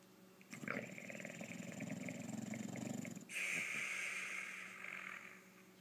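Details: A male English Bulldog snores during an afternoon nap, with a rough, rattling inhale followed by a long, wheezy whistling breath.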